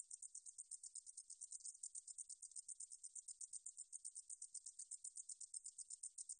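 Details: A high-pitched, crackling buzz from a 등줄어리쌕쌔기 meadow katydid, recorded in Korea in 2020 by the National Institute of Biological Resources. Quick, even pulses repeat about four times a second over a silent background.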